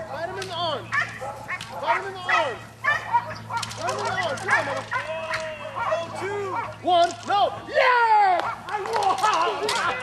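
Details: Chaos, a 7.5-year-old female Belgian Malinois, in French Ring decoy work at the 2009 NARA Championships Decoy Super Selection, with face attack and guard of object; sharp harmonic barks come in quick repeated bursts while human voices talk over them.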